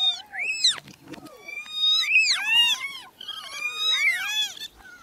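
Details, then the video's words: A cluster of newborn kittens mews in a busy, irregular tangle of short, sharply arching high cries, some sliding up and others dropping, with loudness rising and falling. "Meowing Sound Compilation 2023 | Listen Cute Newborn Kittens"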